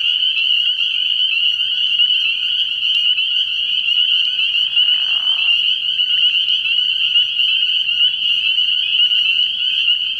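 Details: At a frog pond on an early-spring night, massed spring peepers keep up a loud, unbroken chorus of high, piping peeps, briefly joined midway by a short, soft mid-pitched rustle.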